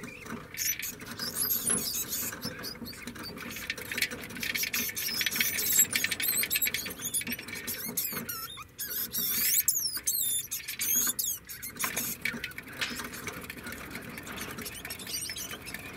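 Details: Degu calling: many thin, high squeaks and quick upward-and-downward sweeping chirps, clustered in bursts, over a steady scratchy rustling patter throughout.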